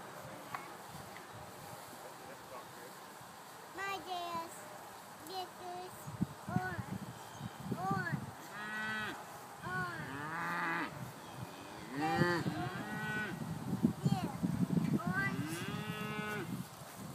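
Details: Hungry Scottish Highland cattle grazing on a farm let out a series of low, wavering moos spread across the recording, with human voices chatting close by.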